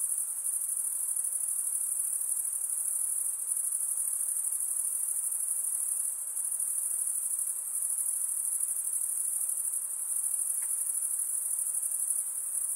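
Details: After dark, a dense, continuous high whine of insects holds at constant strength with a slight flutter; faint diffuse background hiss, one tiny brief click near the end.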